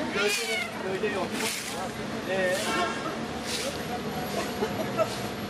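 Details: Friendly cat on the street greeting and demanding attention; short, wavering meows near the start, partly blended with ongoing conversation and faint city sounds.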